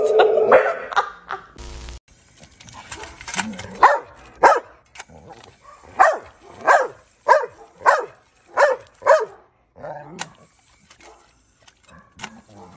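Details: Boxer dog barking in a steady series, about ten sharp barks spaced roughly half a second apart, with a short burst of other noise near the start and quieter sounds after.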